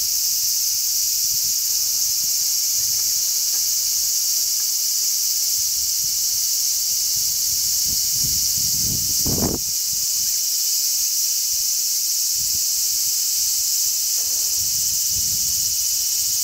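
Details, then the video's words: Many large brown cicadas chirping together on a zelkova tree, 3 August 2010, in a strong sea breeze: a dense, unbroken, sizzling high drone at steady loudness, with low gusts of wind rumbling underneath, strongest around the middle. "Large brown cicadas chirp."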